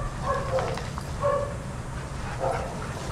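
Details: Shelter dogs playing together at a daycare give short, mid-pitched barks about once a second, three distinct yaps over a steady low rumble of background noise.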